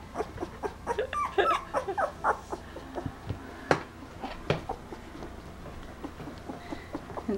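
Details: Two-week-old red Standard Poodle puppies indoors, one crawling about after a post-dinner cuddle; a run of short, high, squeaky whimpers and yips in quick bursts, fading to softer occasional squeaks, with light rustling.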